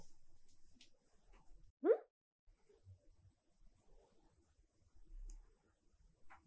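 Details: Siberia, a silver tabby cat, meowing indoors to demand attention and pets: one short, clear meow that rises sharply then drops. A quiet room otherwise, with only faint soft knocks.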